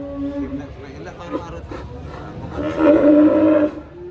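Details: Cow voicing a strange call compared to an elephant crying: short, faint tonal notes, then a strained, rough, louder moo of about one second near the end.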